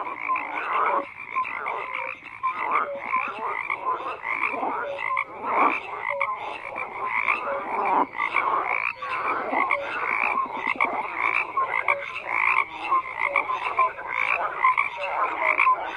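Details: Many frogs croak together in a thick, unbroken chorus; rhythmic bursts of rattling croaks surge and ebb while scattered short tonal notes pop through the mass of calls.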